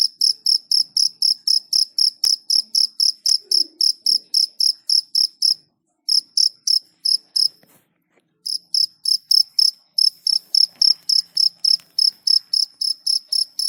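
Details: Cricket giving a fast run of bright, high chirps at roughly three to four per second, stopping twice for short silent gaps before resuming at the same steady pace.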